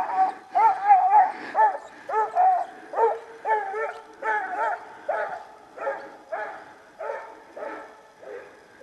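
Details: Orrehaugen's Siko, a 12-year-old Hamiltonstövare, baying as a hare suddenly hops up near him; a steady run of loud, howled barks about two per second, each sliding and wavering, fading slightly toward the end.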